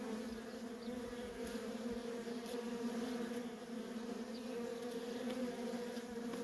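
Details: Constant low buzzing of worker honey bees busily flying at a feral colony, a smooth unbroken two-toned hum with only faint ticks above it.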